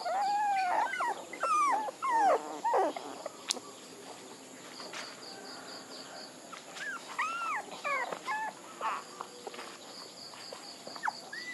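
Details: Scattered puppy whimpers: a few high, arched whines in short bursts, separated by quieter stretches. A regular series of faint high beeps sounds in the background.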